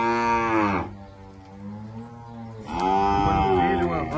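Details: Cows at a livestock auction lot of two cows; a low, steady moo holds in the middle, framed by louder harmonic-rich bursts at the start and end, with background music and an auctioneer's speech.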